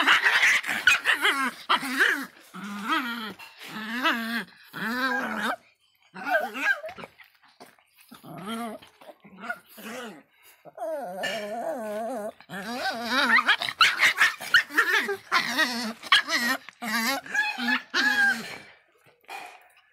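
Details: Feisty Miniature Pinscher named Faísca, indoors, giving long runs of wavering, yodel-like whining barks and yowls, each warbling note about half a second long, with short gaps and brief sharper yelps between.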